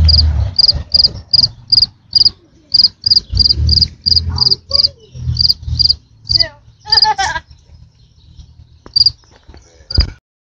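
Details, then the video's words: Large cricket giving steady high chirps about three per second for seven seconds, then sparse; a person speaks briefly over it and a short squeaky sound intrudes near the end. "Big ass cricket making noise"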